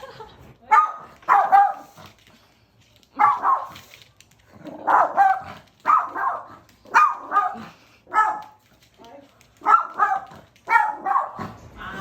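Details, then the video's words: Pet dog barking for attention at a visiting friend of its owner, wanting to be noticed; sharp high barks, often in pairs, in bursts roughly every one to two seconds across the recording. "엄청 짖음 주의"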